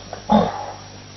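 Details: At night at a water point in Nkorho, Kruger Park, South Africa, a jackal escorting a leopard gives a single short, harsh, bark-like yelp with a throaty low note, then only faint hiss.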